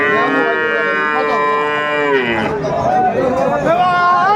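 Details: Friesian and crossbred bull calves at Aftabganj cattle market, Dinajpur, on 17 April 2024: one long, steady, drawn-out moo lasting about two seconds, followed by people talking amid the market crowd.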